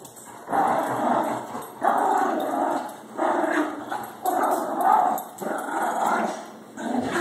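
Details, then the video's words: Late-night toy squabble between Baxter, a Shih Tzu, and Harley, a Labrador: loud, sustained throaty growls come in steady bursts of about one to two seconds, separated by brief pauses. "Baxter(shih-tzu) and Harley (lab) fight over toy"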